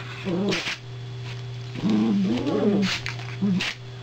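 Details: Toy poodle, one of two dogs, after a second soft crate was delivered; a short whine, then a longer wavering moan rising and falling, ending with a brief whimper, with faint hissing and steady hum.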